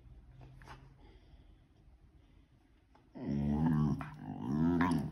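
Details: Pit Bull puppy 'talking' in a small room: a faint, quiet start, then two loud, wavering, moaning growls, each about a second long.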